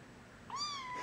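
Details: A three-week-old foster kitten, carried from a crate to a basket, gives one short, clear mew that rises quickly and then tapers slightly downward, with a faint low hum in the room.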